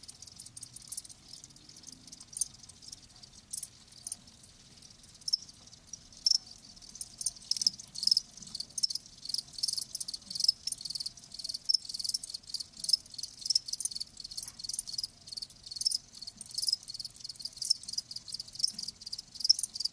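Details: Dense, rapid high chirping from crickets, pulses overlapping into a shimmering, busy trill with uneven loudness throughout.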